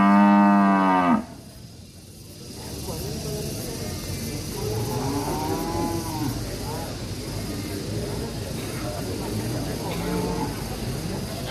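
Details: Angry ngamuk cattle in an Indonesian village: a loud moo cut off after about one second, followed by quieter, distant overlapping lowing from several animals with a steady hum of background noise.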